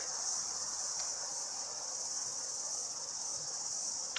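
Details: Outdoor background chorus of many cicadas, an even, high, hissing buzz sustained without pause, faint click near the end.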